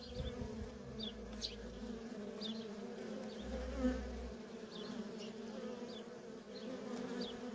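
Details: A feral honey bee colony with constant worker traffic, heard as an even, humming buzz with two deeper low bursts, one early and one near the middle, and faint scattered high chirps behind.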